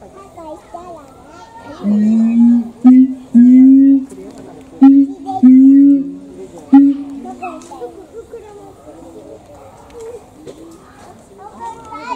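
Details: Siamang at Higashiyama Zoo during feeding, throat sac swelling like a balloon: a series of loud, sustained, slightly rising hoots repeated about once a second, with children and visitors talking throughout.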